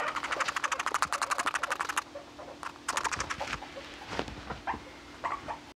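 A guinea pig gives a fast run of clicking pulses, about a dozen a second, then short chattering bursts and a few brief squeaks indoors.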